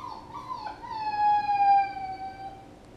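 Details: Puppy whining: a single drawn-out, high tonal whine that wavers at the start, then holds a steady, slightly falling pitch for about two seconds before fading, with faint low background hum.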